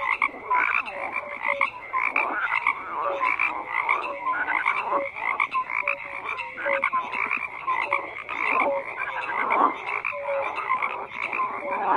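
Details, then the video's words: Many frogs croaking together in a thick chorus: rapid rasping bursts mixed with brief clear whistle-like notes recurring every second or so, steady throughout. "FROGS CROAKING"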